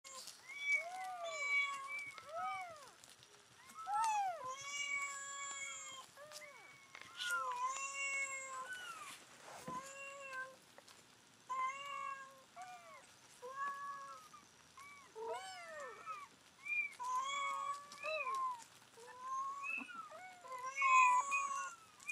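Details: Rescued mother cat calling her nine-day-old kittens back after they were weighed, recorded July 23, 2011; many overlapping arched, high meows and mews repeat throughout, short cries following one another almost without pause.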